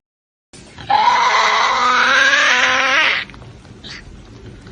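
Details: Tasmanian devil (Sarcophilus harrisii) gives one harsh, wailing screech of about two seconds, strongly harmonic, bending slightly upward then cutting off, leaving faint background noise.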